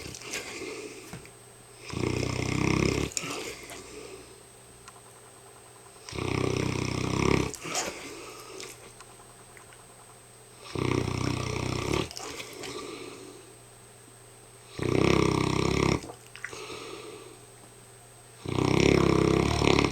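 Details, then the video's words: Very tired Hamish the mastiff snoring steadily indoors: five heavy, rattling snores, each about a second long, coming roughly every four seconds, with quiet gaps of breathing between them. "Hamish the mastiff snoring up a storm"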